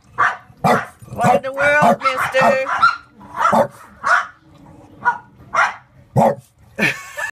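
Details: French Bulldog barking repeatedly from his cave, a cupboard under the entertainment center, for echo and attention; sharp barks roughly every half second to second, a man's voice talking over several of them.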